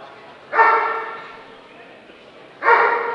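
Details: Dobermann at the Scottish Dobermann Club championship show, 2012, Limit Dog class; two loud, harmonic barks about two seconds apart over a low indoor murmur.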